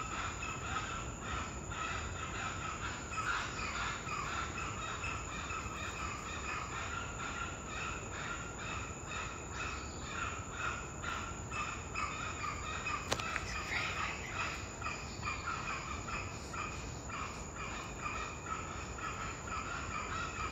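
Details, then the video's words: Wild spider monkeys in Costa Rica's Corcovado National Park sound the alarm at a puma, a steady series of distant rough barks, about two per second, continuing over twenty seconds beneath dense rainforest hum and a shrill insect drone. "Spider Monkey Puma Alarm"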